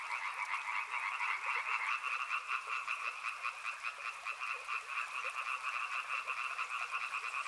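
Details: Many frogs croak in a thick chorus, pulses tumbling roughly twice a second in an uneven, bubbling rhythm, in a soothing riverside nature setting.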